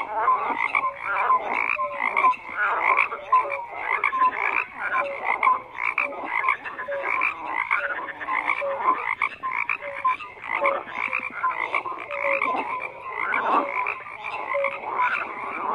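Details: A continuous frog chorus, numerous overlapping croaks with rasping, pulsed texture and regularly scattered short tonal notes, rising and falling in loudness in irregular waves.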